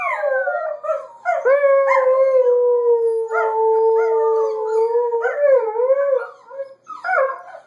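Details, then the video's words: Adult Border Collie, Border Collie puppy and Alaskan Malamute howling on 3-15-13; short broken howls open, then a long level drawn-out howl that ends in warbling, yipping notes, owner remarking it is unusual. "Dogs and puppy howling"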